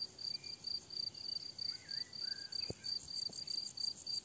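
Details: High, rhythmic cricket chirping from a summer meadow, steady pulsed bursts over which a bird, likely a thrush, adds short whistled slurs.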